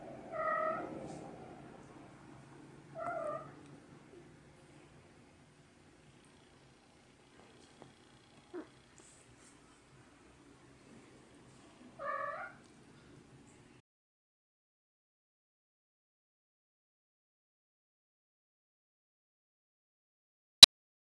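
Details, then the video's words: A cat makes three short, clipped, bark-like calls: two close together near the start and a third about nine seconds later. Long quiet gaps separate them, and a sharp click comes near the end. "Cute Cat Barking"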